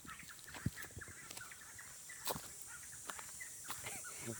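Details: A steady, high-pitched cicada drone hums without a break on a hilltop trail, beneath scattered footsteps and clicks.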